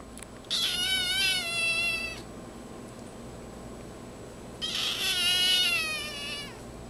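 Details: Small black-and-white female kitten, born on May 21, crying loudly: two long, high, harmonic wails, each about one and a half seconds, separated by a pause, over a faint steady background hum.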